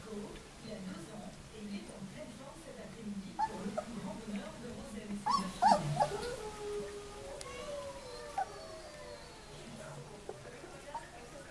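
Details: White Swiss Shepherd puppies from a summer 2014 litter, 19 days old, giving soft high whimpers and thin rising whines, busiest in the middle stretch, over a quiet background with faint low murmuring.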